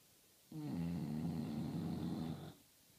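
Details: A single sustained snore from English bulldogs, a deep, gravelly, vibrating rumble lasting about two seconds, rising in sharply and cutting off cleanly against a quiet room.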